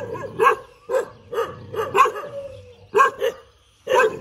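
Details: Dog barks with its tail wagging, letting out short, punchy barks at uneven intervals, often in close pairs, about nine in total with a short quiet gap near the end.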